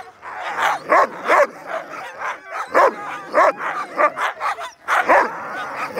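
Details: Sled huskies before a dog sledding tour in Fairbanks, Alaska; a chorus of excited dogs giving rapid overlapping barks and yips, bursts about every half second, loud and close.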